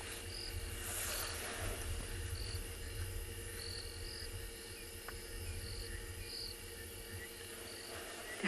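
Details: At sunset on 5 October in Tswalu Kalahari Reserve, South Africa, the hum of the arriving wet season: a steady insect chorus of high ringing trills with chirping bursts about every second, over low wind or engine rumble. Cricket.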